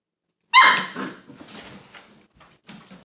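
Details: A 6-week-old golden doodle puppy plays with his Golden Retriever father; a dog gives one sharp, fairly high bark, followed by softer grunts and low growly noises.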